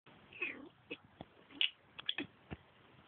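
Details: A Turkish Van cat gives a string of short, high, chirping meows, apparently wondering where another cat is.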